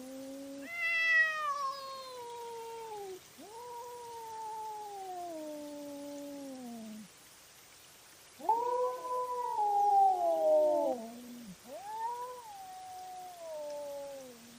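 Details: Night-time cat fight recorded by a trail camera: a series of loud, wavering yowls, each held for two to three seconds and falling in pitch. A rougher, louder outburst comes near the middle, with brief pauses between the calls.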